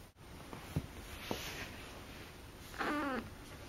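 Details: Akari, a pet cat during her first two months with a new family, gives one short, wavering meow that slides downward at its end, preceded by a few soft taps and clicks.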